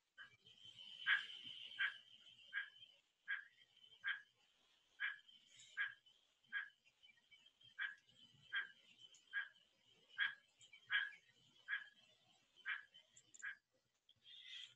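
Plains spadefoot mating calls: short, harsh, nasal croaks repeated roughly every second over a steady high hum.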